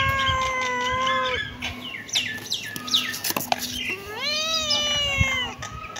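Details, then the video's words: Kitten meowing: a long drawn-out meow opens, followed by a quick flurry of short, overlapping high mews, then another long arching meow that rises and falls; a steady low hum runs underneath. "cute kitten meowing"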